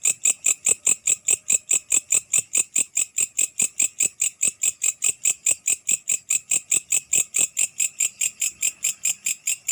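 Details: A grasshopper at night produces a loud, even train of high rasping pulses, around five each second, sustained steadily with clicking accents and little other sound.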